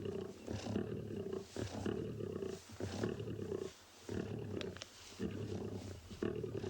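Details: Lions feeding at a kill in Tswalu Kalahari Game Reserve, South Africa, sunrise drive on 25 May 2020: harsh rasping growls come in bursts with brief pauses, mixed with cub contact calls, as two animals fight over food.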